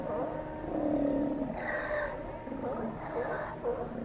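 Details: Steller sea lions calling at Cowichan Bay on Vancouver Island, Canada: layered throaty roars and growling bellows from several animals, one long low call followed by two rougher bursts.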